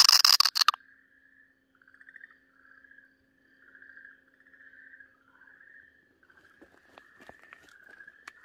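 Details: Okinawa green tree frog giving distress screams while a Pryer's keelback snake eats it, March 2023: a short noisy burst, then repeated wavering, slightly rising wails, later overlaid by scattered clicks and rustling.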